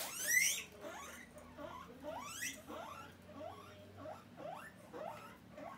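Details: Pet guinea pig asking for food: a steady series of short rising squeaky whistles, one about every half second, after a brief higher whistle at the start.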